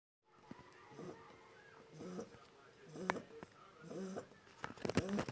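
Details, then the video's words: One-month-old Shar Pei puppy snoring in its sleep: soft, wheezy breaths with a squeaky, nasal whine, repeating about once a second and growing slightly louder toward the end, in a quiet room. "Мой щенок шарпей храпит"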